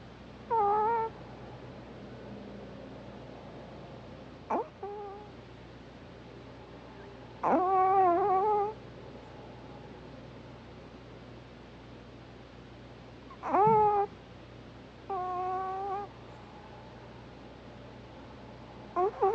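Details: Sleeping Pomeranian female snoring softly indoors: short squeaky, nasal whistling tones with a slight rise then fall, coming in irregular bursts a few seconds apart over a faint steady low hum.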